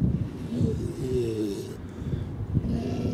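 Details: Grey seals at their pupping beach at Donna Nook on the Lincolnshire coast (pups born October–December) give low, throaty moans with snorting grunts, a wavering wail rising briefly, over a rough wind-blown background.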